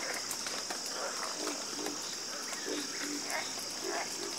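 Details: A busy chorus of frogs gives many overlapping croaks and clicks with no clear rhythm, under a strong continuous high hiss.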